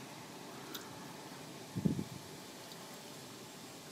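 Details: A steady low rumble with a brief muffled thump midway and no animal voice.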